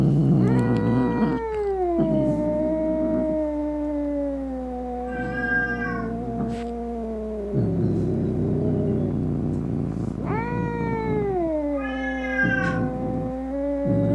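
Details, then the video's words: Angry cat yowling to chase off rats, opossums and other cats; long, sliding wails repeat with low rasping growls underneath, two sharp rising cries standing out. "Som De Gato Miando Bravo - Ronronando Para Espantar Rato, Gabiru, Saruê e Outros Gatos"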